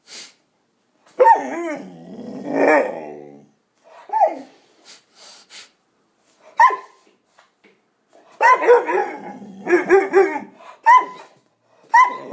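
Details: A 5-month-old male Cane Corso gives harmonic barks mixed with drawn-out, whining growls in irregular bursts.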